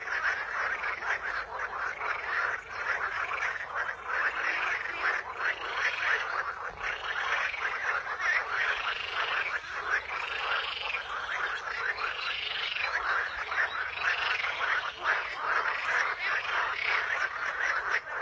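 A dense chorus of frogs croaking steadily, with rhythmic pulsing calls rising and falling every second or two.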